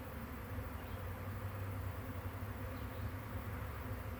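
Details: Honey bee swarm recorded on May 9, 2023, near hives: a dense, steady low droning hum that never breaks, with layered humming tones throughout.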